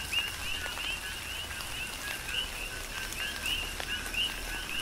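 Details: Brief stretch of a coqui frog chorus on the Big Island of Hawaii during a tropical rain shower, several clear rising whistled chirps standing out from overlapping callers, with pattering raindrops throughout.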